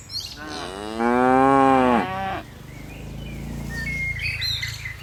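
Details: Tame cattle from a herd of dozens leaping down a mountain hillside slope; one drawn-out, rich moo of about a second and a half with a dipping, even tone, then quieter ground noise and a few high bird chirps.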